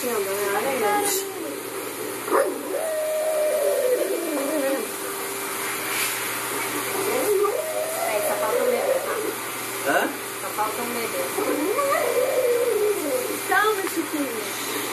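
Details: Male French Bulldog Fred reacts at a veterinary ultrasound to the heartbeat of his unborn puppies, carried by the pregnant French Bulldog Maria: long wavering whines, rising and falling again and again, over steady ultrasound hiss and faint pulsing.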